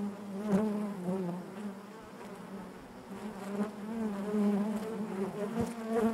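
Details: Honey bees buzzing inside their hive: a steady low hum with layered harmonic bands, individual bees swelling louder as they pass close, wing tones wavering up and down throughout.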